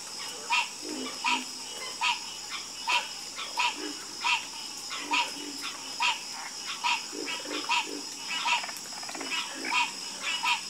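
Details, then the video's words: Chorus of frogs croaking: loud, harsh, ringing croaks repeated roughly once a second, with quieter low croaks from other frogs between them, over a steady high-pitched background drone. "Sleep Like A Baby With The Calming Sound Of Harmonious Frog Croaking"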